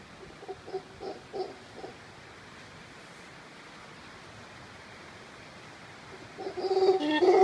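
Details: Howler monkeys in the Monteverde Cloud Forest of Costa Rica: a few short, hoarse grunting bursts, a quiet pause, then a loud rasping roar that swells at the end.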